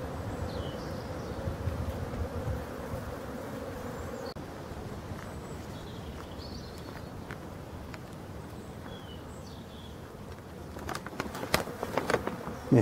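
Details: Honey bees at hive No 6 in Brittany, France, 4 February 2021, during the last winter feeding before spring: a steady low humming buzz over the first seconds fades into diffuse hiss, with sharp clicks and handling noises near the end.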